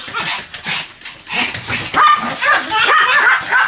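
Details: A Pomeranian dog barking continuously: quick, thin yips crowded together, and toward the end a sharper run of high barks, possibly with a voice mixed in.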